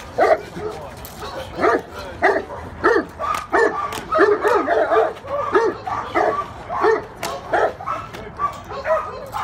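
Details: Cane Corso barking in a series of deep, short, forceful barks, roughly one or two per second with uneven spacing, with faint voices in the background.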